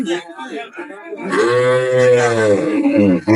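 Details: Cow with calf at Ambari haat cattle market in Dinajpur on 23 May 2025, giving a sustained, steady low moo of almost two seconds, with men bargaining and talking before and around it.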